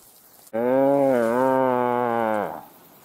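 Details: Deer roaring in thick forest near Lake Waikaremoana during the rut, on a very windy day: one sustained, deep, harmonically rich roar lasting about two seconds, slightly wavering, then cutting off, with wind noise around it.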